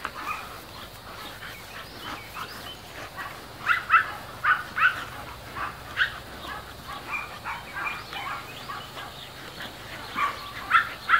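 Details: Mastiff puppies playing, quiet at first, then a string of sharp high yips and barks grows louder toward the middle and again near the end, set against a low background hum.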